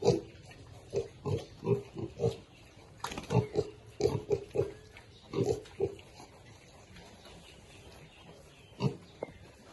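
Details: Piglets eating, giving short low grunts in quick bursts of two or three, with pauses between clusters, plus sharp broadband clicks and rustling from feeding.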